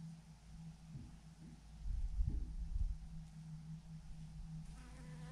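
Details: Honey bees in a swarm of thousands clumped on a branch: a low, steady droning hum with a faint wavering overtone, swelling briefly in the middle and then settling back to an even buzz.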